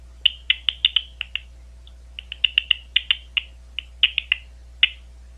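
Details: Big brown bat (Eptesicus fuscus), recorded at Ohio State University, gives sharp, high chirps in quick, irregular bursts.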